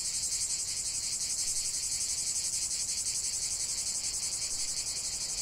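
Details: Cicada song in a natural setting: a loud, even, high-pitched rasp pulsing roughly three times per second without pause from start to finish.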